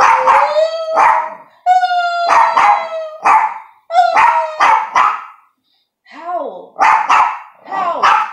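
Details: Household dog, with its owner trying to make it howl: a rapid series of loud harsh barks mixed with held howling tones, then a pause and more barks with a wavering voice.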